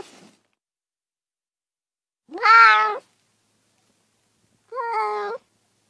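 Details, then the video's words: Domestic cat giving two drawn-out meows about two seconds apart, the first louder and slightly bending, the second softer and flatter, with silence between them. "30 minutes of Cats' Meow"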